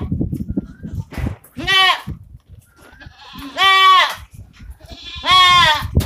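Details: Osmanabadi goat on a farm bleating three times, each a loud, harmonic, wavering cry roughly every two seconds, with low rumbling noise and faint background sounds between calls.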